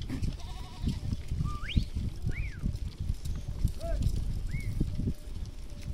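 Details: Village goat herd calling: several short bleats, some sweeping sharply upward and others arching or wavering, come one after another over a busy bed of low thumps and movement noise.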